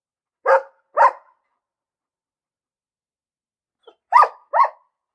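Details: A barking dog gives two sharp barks, falls silent for nearly three seconds, then lets out two more quick barks, with nothing else audible.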